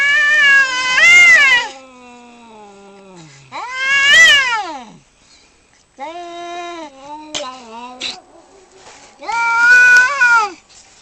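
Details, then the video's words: Fighting male cats produce a series of loud, arching yowls and shrieks, each rising then falling, some ending in low sliding moans, with abrupt harsh bursts between the howls. "The sound of male cats fighting"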